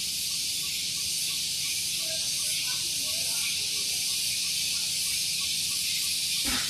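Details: Cicadas singing in the morning on Gunung Geulis, Bogor, West Java, near a vehicle parking area: a loud, continuous high hissing buzz with a faint rapid pulsing throughout and a brief low thump at the very end.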